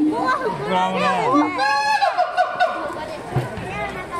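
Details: Siamang named Keiji at Higashiyama Zoo giving its distinctive screaming call: wavering, rising and falling harmonic whoops, then a quick run of sharp repeated notes, with crowd chatter and visitors' voices around.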